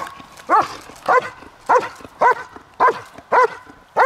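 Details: Kraftwerk K9 German Shepherd giving loud, evenly spaced barks, seven in about four seconds, each strong and harmonic with a quick falling edge, little else audible.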